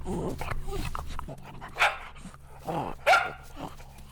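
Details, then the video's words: Playful dogs chasing each other on green grass bark sharply three times, a high yap then a quick double bark near the end, over a steady low hum and rustling. "Dog barking sounds"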